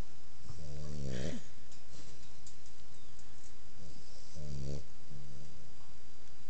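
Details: Sleeping female American Pit Bull Terrier puppy snoring indoors: a drawn-out, buzzy, harmonic rasp lasting about a second, then after a quiet pause a pair of shorter rasping snores close together, over a steady low hiss.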